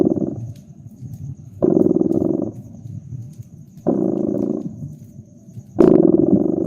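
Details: Domestic cat purring beside a crackling fireplace in a cozy winter ambience: a low, rumbling, pulsing purr that swells into louder phases about every two seconds and softens between them, with faint crackles from the fire and a steady high faint hum.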